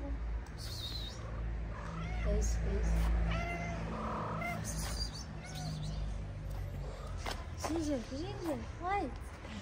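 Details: Stray ginger female cat with a feline friend on a street in Morocco, playful and dancing. Late in the clip come several rising-then-falling meows, wavering and repeated close together, over constant low background rumble and human speech.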